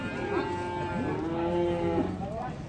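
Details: Cow lowing as it is unloaded from a fully loaded truck in Indonesia, a long drawn-out moo with a rising then level tone, over background speech and music.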